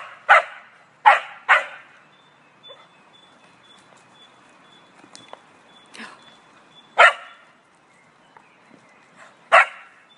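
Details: A Cocker Spaniel barks at a taunting squirrel: a quick burst of three barks, a long lull with faint clicks, then two single barks several seconds apart.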